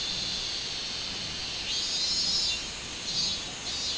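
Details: High, hissing cicada drone recorded on 24 July 2016, a minmin cicada, with a steady buzzing band and a couple of brief louder swells in the second half.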